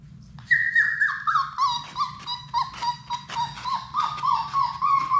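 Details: Six Labrador Retriever puppies in an indoor play room whine and whimper continuously, high tonal cries sliding downward and overlapping in quick succession, with a steady low hum beneath.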